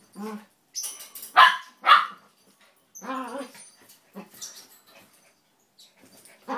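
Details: Two small pet dogs, a red toy poodle and a Maltese, wrestling in play rather than fighting: short yappy barks and growly yelps in quick bursts during the first two seconds, another flurry around three to four seconds, and one more at the end.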